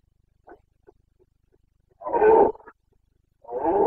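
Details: Carpathian red deer stag roaring in the Bucovina mountains of Romania during the September rut, breeding season; two loud, rough, harmonic-rich bellows about a second long, preceded by a few faint short grunts.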